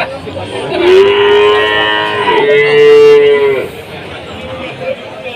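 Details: Cattle at the Tuban cattle market in Jatirogo, in a time of foot-and-mouth disease and slumping prices: two drawn-out, steady moos follow one another, each about a second long, over crowd chatter and faint music.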